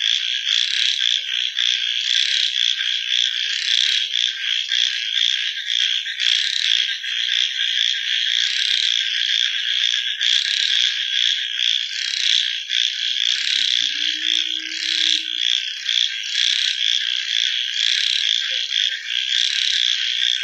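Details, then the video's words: Frogs at night producing a continuous piercing chorus that pulses rhythmically, with a short faint low tone partway through. "Frog Night Sounds"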